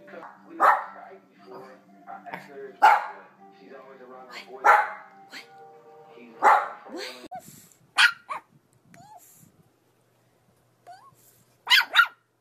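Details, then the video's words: Yorkshire Terrier barking: four loud, sharp barks spaced about two seconds apart, followed by softer yips and brief squeaky sounds, with a person's voice nearby. "YORKIE AMAZING BARKING - Yorkshire Terrier Barking and Howling Compilation"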